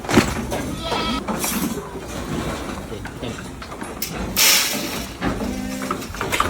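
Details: Boer goats on a modern goat farm give short nasal bleats, one clear steady bleat near the end, over a busy barn background of voices, clattering and a passing vehicle.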